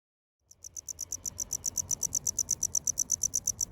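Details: A male tropical house cricket sings in Okinawa, Japan, where the species calls almost year-round in towns, from roadside ditches and concrete gaps. After brief silence, high, sharp chirp pulses begin, about seven per second, evenly spaced.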